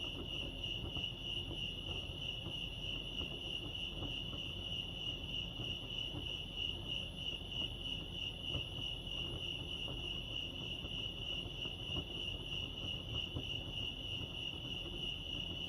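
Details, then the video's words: At Lake Arrowhead in California, crickets chirp in a continuous high, finely pulsed trill that never pauses, set against a quiet low background murmur. "Serenity sounds crickets chirping lake arrowhead"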